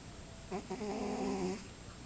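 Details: A cat snoring into a glass of orange juice. One short snore, a buzzy, harmonic drone lasting about a second, rises out of soft room noise.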